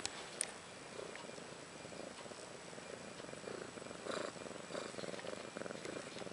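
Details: Ashley, a mother cat about one year old, purring beside her two newborn female kittens, Maggie and Rose, born March 30th 2013: a soft, steady rhythmic rumble with even pulses throughout, plus faint rustling and a brief click early on.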